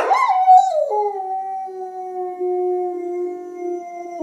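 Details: Domestic dog howling along to other dogs' sounds, opening with a quick rising yip before settling into one long, steady, level howl held for several seconds.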